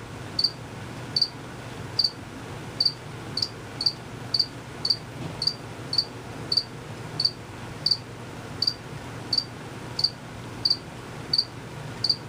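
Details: Hidden crickets keep chirping, a sound only the males make with fast wing movements. Crisp high chirps recur at a steady pace of about one to two per second, with a soft low hum underneath.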